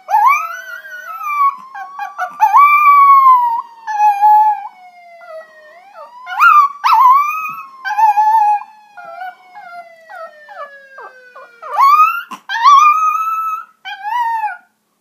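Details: A puppy howling along with police sirens: long wavering howls sliding up and down, overlapping the siren's steady falling sweeps, with short breaks between howls and a brief human exclamation.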